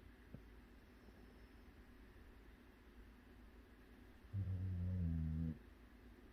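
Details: A Jindo mix dog snores in its sleep. One low, humming snore lasting about a second rises out of quiet background hiss late in the stretch, steady and tonal, with a soft click near the start.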